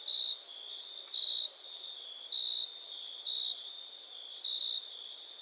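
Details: Crickets singing at night in India, an unbroken very high trill plus a lower pulsing tone that brightens in short bursts roughly every second.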